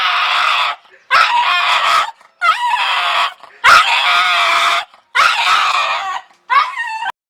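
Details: A dog giving a scary sound: harsh, raspy scream-like bursts about a second long, repeated six times with brief silent gaps. Some bursts have quavering, wobbling tones.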